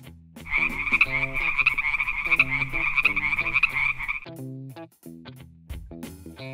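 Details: A frog gives a fast, high, rattling trill that repeats in quick pulses for about four seconds. Music with steady tones plays underneath.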